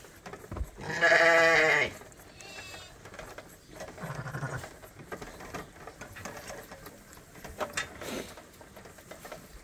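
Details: Lamb on a farm, one of several still with their mothers but topped up by bottle twice a day, gives a loud wavering bleat lasting about a second, followed by quieter bleats, a person talking and farm background noise.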